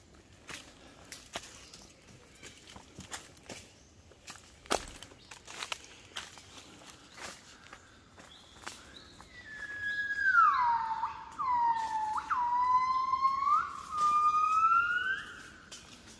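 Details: Gibbons singing at 5 a.m. as they wake in the Cat Tien jungle, Vietnam, on 16 January 2023. Footsteps crackle on leaves for nine seconds, then loud whistled notes swoop down and glide back up in overlapping phrases.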